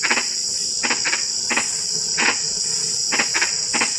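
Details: Frogs heard during drizzling rain give sparse, abrupt knocking notes, some in quick pairs, spaced about a second apart against a constant shrill insect hum.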